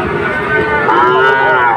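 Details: Sahiwal bull at a cattle market near Dhaka, Bangladesh, on 16 September 2024, giving one loud, rich, tonal moo that swells and rises slightly before fading.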